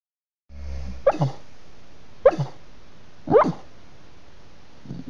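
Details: Staffordshire Bull Terrier puppy dreaming in its sleep, letting out three short, sharp yips roughly one second apart, each a quick falling burst, with soft muffled sounds between and a faint rustle at the end.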